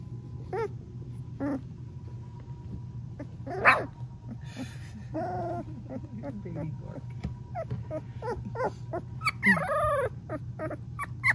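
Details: Three-week-old Golden Retriever puppy, with her mother and brother nearby, gives scattered squeaks, yips and a final wavering trill over a steady low hum, with soft rustling in between.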